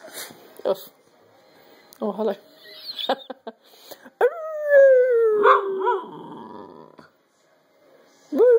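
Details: Pet dog howling together with its owner as a pack: a brief burst of human talk and coaxing, then a long falling, harmonic howl with a wavering end, and a short rising howl starting near the close.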